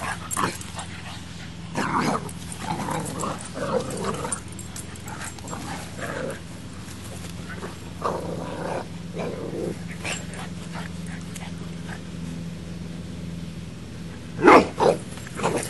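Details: Max, a Boxer puppy, squares up to Baby, a female English Mastiff. Short, rough bursts of growling and yapping come in clusters, with a loud double bark near the end and a person talking over the scuffle.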